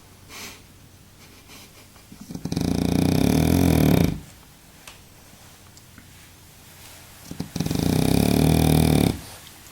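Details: Baboo, a sleeping French bulldog, snores twice: a long rough rumbling breath that swells then cuts off, a quiet gap of about three seconds, then another harsh, drawn-out snore.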